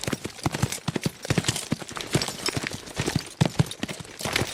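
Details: Fast horses galloping: rapid, uneven hoof thuds strike hard and overlap in quick succession, with sharp clattering impacts and a continuous rumbling undertone. No neighing or voices.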